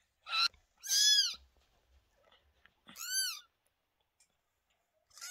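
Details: Home recording of cat Lola after giving birth to two kittens on 28 May 2023. Several high, harmonic mews follow each other quickly, arched in pitch, with soft shuffling and thumps between.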